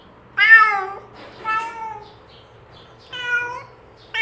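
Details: Cat calling to draw other cats near: three drawn-out meows, the first loud and falling, the next two softer and steadier, separated by pauses, plus the start of a fourth; low hum behind.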